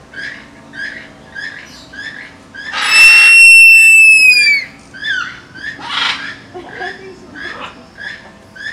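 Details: Female three-toed sloth in heat, screaming in a high pitch to draw males that follow the sound to mate; a single loud, long whistled scream gliding slightly downward over about two seconds, with rhythmic short chirps repeating before and after.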